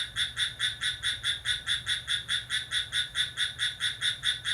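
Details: Cricket calling lively at midnight on 6 July: a steady, shrill pulsed chirping repeated about four times a second, over a faint low hum.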